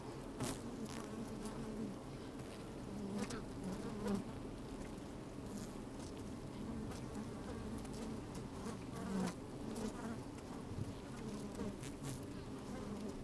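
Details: Steady colony hum of honey bees working an open hive, captured by a microphone pushed down into it on a fine, breezy day; low continuous drone with occasional short louder buzzes and faint clicking movement throughout.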